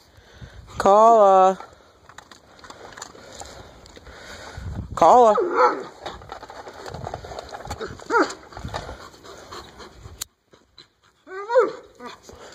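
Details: A white 12-year-old Alaskan Malamute opens with a wavering, yodelling howl-like call, then adds shorter rising and falling vocalizations, with a person talking in the background between the calls.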